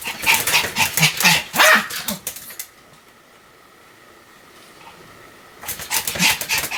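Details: Pomeranian named Sam in a run of continuous barking: a fast volley of high yaps for over two seconds, then a long near-silent pause, then another burst of rapid barks.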